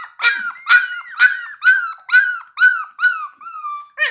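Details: Puppy of blue Pit Bull type, 17 days old, cries in a regular string of eight loud high yelps, each sliding down in pitch, about two per second, with a final short squeak.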